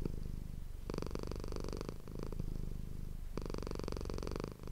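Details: Manis, a pet cat, purrs into a close ASMR microphone inside a room, two long rumbling pulses of low, buzzing vibration separated by a softer inhaling phase.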